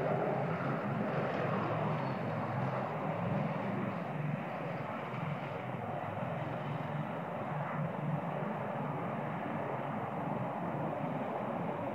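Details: A loud, steady engine-like roar fills the whole recording without a break, much like an aircraft passing; no animal sound is heard.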